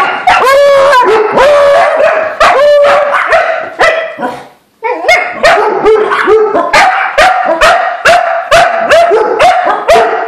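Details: Several dogs, called a wolf pack, barking excitedly after spotting a squirrel: loud, rapid overlapping barks mixed with yelping whines, a brief pause near the middle, then a dense burst of repeated barks.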